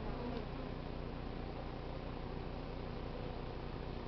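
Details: Honey bee swarm from a crape myrtle tree in South Pasadena being hived, queen inside, stragglers filing into the new hive entrance, some fanning wings; a steady, dense, low droning hum with no breaks.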